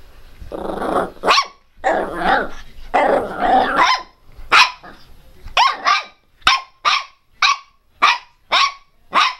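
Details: A Miniature Pinscher barking angrily and loudly, opening with growly, rasping barks that run together, then settling into a steady series of short, sharp barks roughly every half second.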